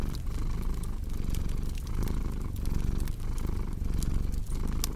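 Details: Cat purr heard as a soft low rumble in rhythmic breath pulses beneath loud, busy fireplace crackling and snapping.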